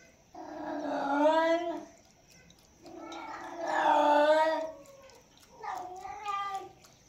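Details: Domestic cat drinking milk gives three long harmonic meows about every two and a half seconds, the middle one loudest, the last shorter and wavering.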